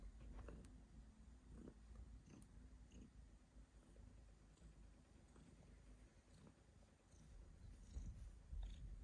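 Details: Pet cat coughing while purring; a soft, low, continuous rumble runs throughout, broken by short scattered clicks and brief bursts, getting slightly louder near the end.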